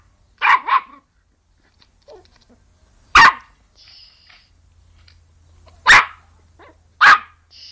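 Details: Yorkshire Terrier sneezing indoors, a quick double burst followed by three single sharp, explosive snorting sneezes spread over several seconds, with quiet gaps between.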